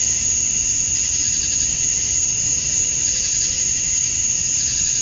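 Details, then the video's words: Male cicadas chirping to attract females at dusk on a summer night in Georgia, USA, forming a constant shrill high-pitched drone with a softer, shimmering wash beneath it and no breaks. "Cicadas at Dusk, Summer Night"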